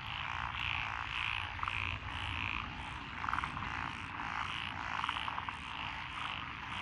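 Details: Rice-paddy frog chorus among lotus fields in Echizen, Fukui Prefecture, Japan, 12 June 2021: thick layered croaking with brief bursts of clicking trills recurring every second or two over a soft low hum.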